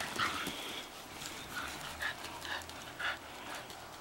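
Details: Two female Shetland Sheepdogs playing rough in a backyard at sunset; a string of short, nasal yips and whines, several spaced about half a second apart, with panting between.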